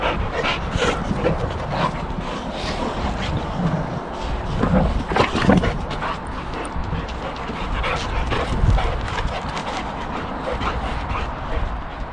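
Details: Boxer dogs in rough play: puppy Sammie challenging an adult alpha Boxer at home. Repeated short, rough bursts with whimpers and panting come in uneven runs, louder around the middle, with faint music underneath.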